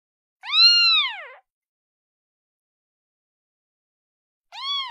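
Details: Kitten calling its mother: a clear arched meow lasting about a second, rising then falling, followed after a silent gap by the start of a second similar meow.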